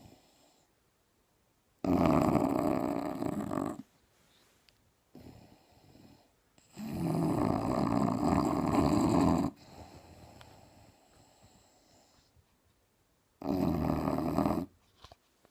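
An English Bulldog snores loudly, with long rattling breaths separated by quiet pauses.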